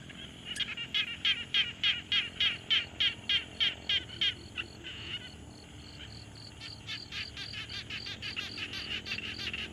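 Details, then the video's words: Frogs at a quiet pond, field-recorded with a Tascam Portacapture X6: a rapid series of sharp, high clicking pulses about three per second, pausing midway, then resuming more softly, over a faint ambient hiss. "Frog Sounds"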